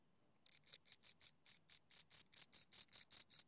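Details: After half a second of silence, two crickets start chirping: short high scraping pulses, about four a second, growing slightly louder as they go, with a faint higher overtone above each note.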